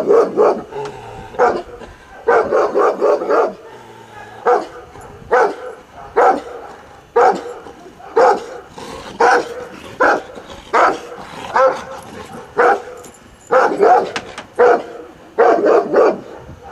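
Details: An older Kuvasz barks in deep, full-throated bursts, repeated roughly every second or so, during a courage test.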